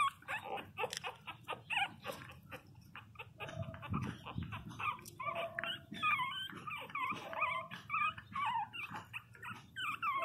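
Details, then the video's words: Loud crying from 22-day-old Pinscher puppies amid rustling and handling noise. Thin, wavering whines grow denser in the second half, and a person speaks nearby. "Filhotes de pinscher beby cute de 22 dias chorando alto"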